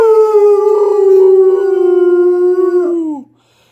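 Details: Great Pyrenees howling along with acoustic guitar music indoors. One long, clear howl of over three seconds with a slight wavering quality. The pitch stays nearly level, then drops and cuts off.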